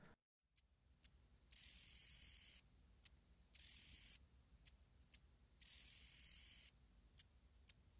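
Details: A short-winged meadow katydid (Conocephalus brevipennis), a common Illinois and Midwest katydid, gives a few thin ticks, then a soft, very high buzz, repeated.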